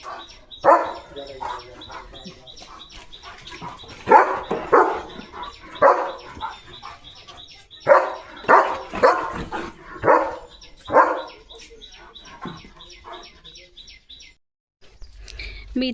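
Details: Leo, a pet German Shepherd, in the morning: bursts of loud barks in irregular clusters separated by pauses, with a steady high electronic tone running beneath for much of the recording, then quiet near the end.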